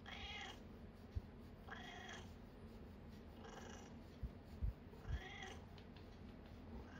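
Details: Nana, a 14-year-old red tabby cat, indoors while trying out a full-body cat massage tool, gives four drawn-out harmonic meows spaced roughly one to two seconds apart over low room hum, with a few soft clicks.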